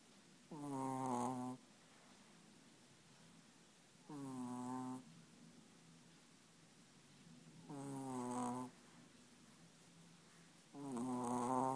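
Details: Chihuahua snoring: four long, harmonic, rasping snores about a second each, arriving roughly every three and a half seconds, with quiet breathing gaps between them in an otherwise still indoor setting.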